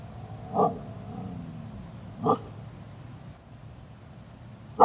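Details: Siberian Husky puppy, filmed in 2017, angrily barking at a wheelbarrow; two short sharp barks about two seconds apart, then a third at the end, with a steady high electronic whine behind.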